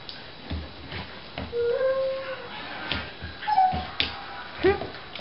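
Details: Four-month-old dog indoors whining in drawn-out, tonal whimpers: a steady whine near the middle, then shorter rising and falling whines toward the end, with background music and soft voices.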